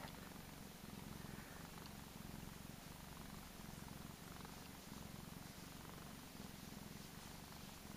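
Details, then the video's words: A spoiled, chubby Persian cat named Gizmo purring at home: a deep pulsing rumble swelling and easing in regular breath cycles about every few seconds, steady and close. "Cutest purring cat ever! Gizzards (Gizmo) the cat"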